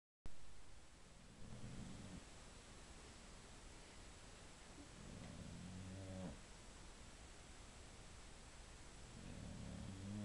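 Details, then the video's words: Female pet Boxer dog asleep, snoring softly: three low, rumbling breaths with a rough, buzzing tone, arriving about every four seconds against a quiet room hiss. "boxer snoring"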